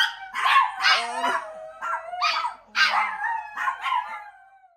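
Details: Chihuahuas and a Miniature Pinscher singing together: a sustained high howling note beneath repeated wavering, yodelling yelps in bursts roughly every half second, with a few lower growly notes.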